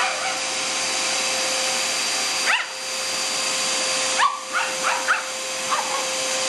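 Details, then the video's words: Sophie, a Shih Tzu who loves anything with a motor, yaps at a vacuum cleaner: one sharp bark, then a burst of four or five short high barks, all over a constant loud motor hum. "Shih tzu Dog Loves Vacuum Cleaners"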